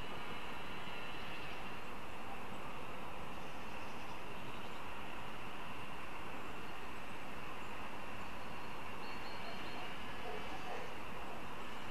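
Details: A steady low rumble of passing rail traffic fills the air, with no animal calls standing out.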